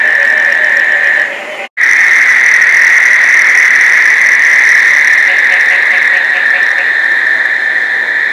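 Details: Many frogs calling together in Placencia, Belize, in the summer rains, a mating chorus with some squeaky-toy voices; a loud unbroken high trilling wall of sound, interrupted once by a momentary silence, with fainter higher layers above.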